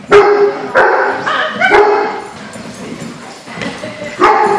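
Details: Dogs at a large-dog social gathering on May 4, 2014; several loud barks and yips in quick bursts, about five sharp onsets across the stretch, with some chatter in between.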